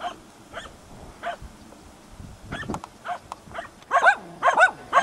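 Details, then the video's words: Prle and Pirana, hunting dogs, bay at a dead deer at Salas on 8 September 2012; soft, distant barks at first, then a close run of loud, harmonic-rich barks near the end. "ABBAIO AL CERVO MORTO"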